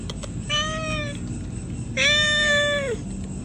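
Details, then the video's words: Pregnant domestic cats meowing loudly: two clear, tonal meows, the second longer and stronger, ending in a slight downward bend. "Pregnant cats meowing loud"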